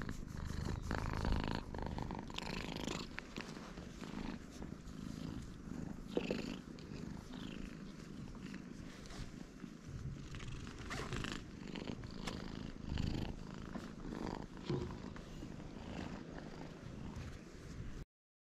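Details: Friendly stray cat at a cat gathering on a Japanese cat island purring steadily for about eighteen seconds. A low pulsing rumble is close to the recorder, with occasional rubbing and rustling bursts.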